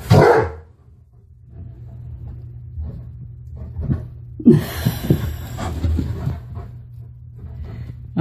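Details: Tonka the Alaskan Malamute barking at an unfamiliar mannequin head indoors; one sharp loud bark at the start, then quieter grumbling, huffs and bumping sounds, with a woman's voice in the background.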